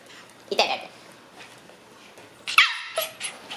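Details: White female Shiba Inu puppy, born on 11 May, indoors; two brief high breathy yips about two seconds apart, the second trailing into softer squeaks, in a quiet room.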